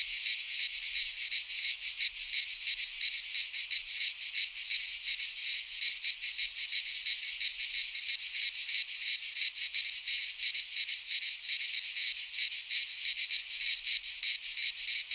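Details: Cicadas singing in midsummer in a Greek pine forest: a dense, harsh, high buzzing chorus, steady throughout with rapid pulsing about three times a second, no other sounds.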